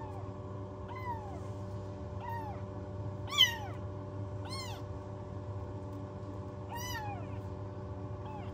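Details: Motherless newborn rescue kittens in a heated box at home cry in high, thin meows. Each cry arches up and drops, repeated about once a second, over a constant low hum.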